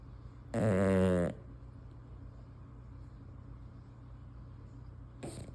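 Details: Female English Bulldog asleep with tongue out gives one loud, buzzing, rattling snore lasting under a second, followed by quiet room tone and a faint short breath near the end.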